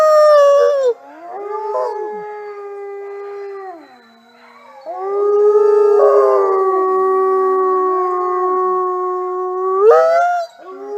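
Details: Mexican wolves of the southwestern United States and Mexico howling together: long, level, overlapping howls at different pitches, some sliding down, with a short yelping rise near the end.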